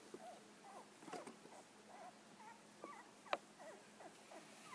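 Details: Golden Retriever (Canis lupus familiaris) puppies, a litter of nine with their mother, give soft, high squeaks and whimpers overlapping in a steady chorus; recorded 10/31/11.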